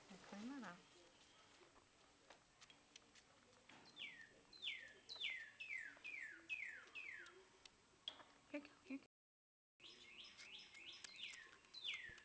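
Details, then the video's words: During a syringe feeding, young squirrels squeak in a quick run of high, downward-sliding chirps, about two per second, with a short break. Faint rustling and clicks sit underneath. "Feeding Baby Squirrels"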